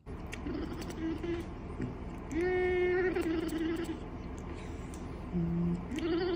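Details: Domestic cat chirping and chattering: a few short tonal calls, then a longer rising-and-level call near three seconds and two brief calls near the end, over steady background noise.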